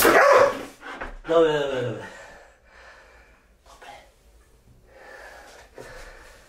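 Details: Anya, a Belgian Malinois, indoors during a compressed-air game she is fascinated by: a loud harsh burst opens, then a drawn-out falling, harmonic bark-like cry, followed by quieter breathy hisses and soft noises in a small room.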